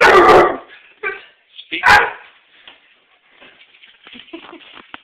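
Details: Basset hound barking as its owner arrives home: two loud, harsh barks about a second apart, then a fainter bark and softer scattered noises trailing off.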